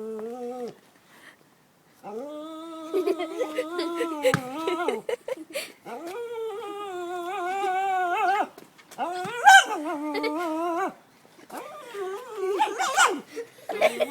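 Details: German Shepherd making crazed advances at an unbothered cat, giving drawn-out, wavering high whines and yelps with strong overtones, some rising and falling, broken by short pauses and a few sharp louder cries.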